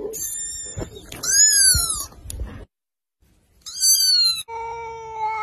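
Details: Kittens from a compilation uttering short, very high, rising mews, some possibly calling for their mother, then a steady lower meow at the end, with rustling noise.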